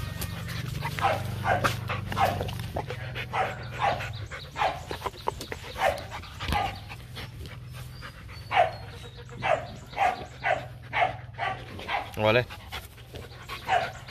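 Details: Two young Rottweilers, Nina and Nano, kept by the Gervi kennel, roughhousing with their owner: a long run of steady breathy huffs, speeding up toward the end, over a low droning background and scattered handling noises.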